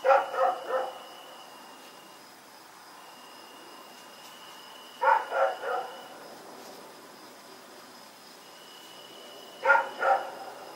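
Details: Night of Oct 7, 2018: Rex the dog, running around, repeats tight triplets of harsh barks roughly every five seconds, with a steady high-pitched tone in the background.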